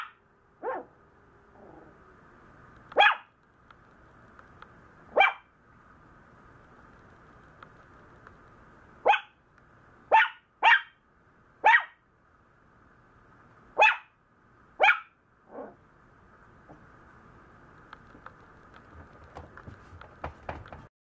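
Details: Maltese puppy complaining a lot, giving short sharp yaps spaced irregularly, roughly one every second or two, some in quick pairs, over a steady faint background hum.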